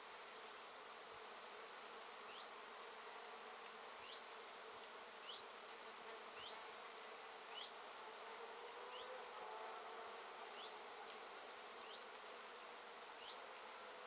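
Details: Steady humming of many honey bees gathering nectar on Japanese knotweed bushes in September 2013, with quick rising chirps sounding every second or two over the drone.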